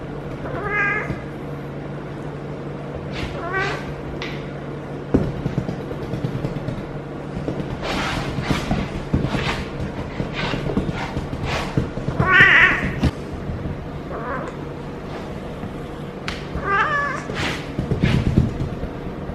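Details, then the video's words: A female feral cat, seemingly in her first heat, caterwauls for hours with drawn-out, wavering yowls repeated every few seconds, rolling while being petted on her lower back. "Feral Cat in HEAT makes UNBELIEVABLE Noises! 🙀😲 Relieved by a Human"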